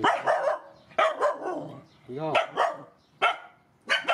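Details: Mother dogs and their puppies being fed at a rescue, barking in short, bright bursts of two or three notes with pauses between, one drawn-out whining yelp in the middle.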